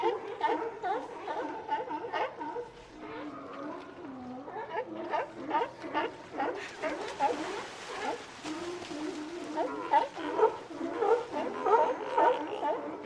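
Sea lions giving a steady chorus of hoarse, overlapping barks and gurgling calls.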